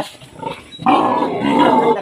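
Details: A sow on a Philippine pig farm, just after farrowing, gives a loud, harsh, broad call that starts suddenly partway through and holds steady to the end, after a quieter, murmuring stretch.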